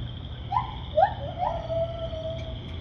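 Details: White-handed gibbon singing at Assiniboine Park Zoo on May 5, 2023: a series of clear whistled hoots, each sliding upward, the last drawn out into a long level note, over low background hum.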